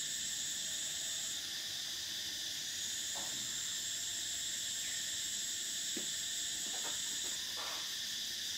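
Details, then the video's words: Continuous summer cicada drone, a high shrill band fading out and back in over a steady buzz, punctuated by a few brief sharp clicks and short chirps in the second half. "Cicadas: the sound of summer"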